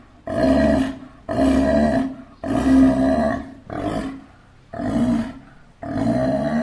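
A sea lion gives a run of loud, hoarse barks, each about a second long.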